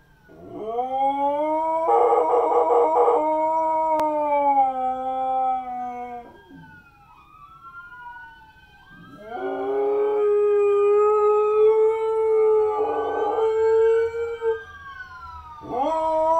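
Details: A Siberian Husky howls in response to sirens, long wavering howls that rise, hold and slowly fall away.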